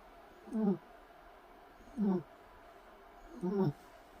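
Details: Sleeping Shih Tzu puppy snoring: three low, rasping snorts roughly every one and a half seconds, each brief and gravelly, over a quiet background.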